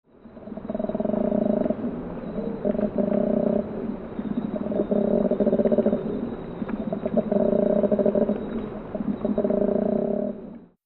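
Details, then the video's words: A male koala bellows in deep, snoring, guttural grunts, rhythmic rasping pulses broken by brief pauses. It is a mating-season call that tells nearby koalas he is present and claiming territory. "Koalas make a deep guttural bellow."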